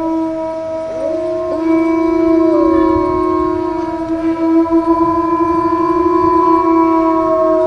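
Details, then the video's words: Several wolves howling together, long sustained tones stacked at different pitches, one voice sliding and wavering early on before the steady overlapping notes carry through to the end. "Awesome Wolf Howling Compilation"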